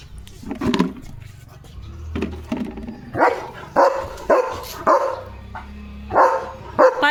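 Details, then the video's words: German Shepherd at the house gate in the morning, barking and jumping at another dog passing by; scattered barks at first, then a quicker run of loud harsh barks, over low background rumble. "Leo The German Shepherd ची खतरनाक Morning Barking Duty"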